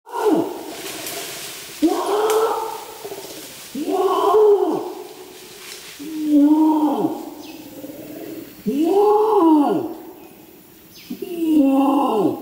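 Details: Adult flanged male Bornean orangutan long-calling at Tuanan Research Station, Central Kalimantan, Indonesia: deep, roaring pulses, each arching up then down, repeated roughly every two seconds with rich overtones and brief quiet gaps between.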